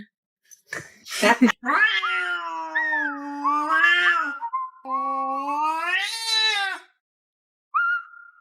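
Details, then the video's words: Ruby, a pet cat "arguing" with her owner, lets out two long drawn-out meows, wavering then falling, after a brief noisy burst, ending with a short higher mew. "My Cat Started Arguing With Me"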